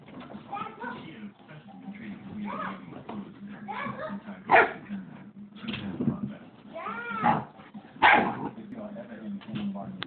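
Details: A Siberian Husky nagging his brother during play: quiet grumbles break into arched, whiny yowls around the middle and near the end, each rising then falling, over a steady low hum.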